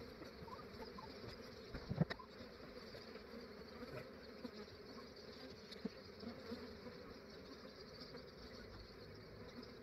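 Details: A massive honey bee swarm in Australia, collected early in the morning before it warmed up and the bees became active: a low, steady droning hum with a few brief louder knocks and handling noises.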